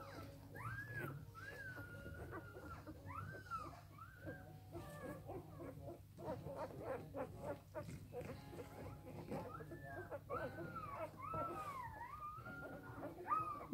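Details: Litter of Samoyed puppies aged three days: soft, drawn-out whining notes that bend up and down, in scattered groups with quiet gaps, over a low background hum.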